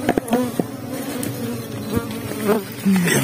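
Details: Underground honey bee nest being harvested on Biliran Island: dense low buzzing hum of many bees, overlaid by taps, scrapes and brief handling noises.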